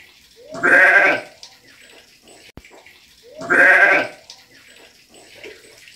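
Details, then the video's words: Ram bleating: two loud, hoarse, harmonic bleats, each about half a second long and roughly three seconds apart, with quiet background between them. "Carneiro berrando"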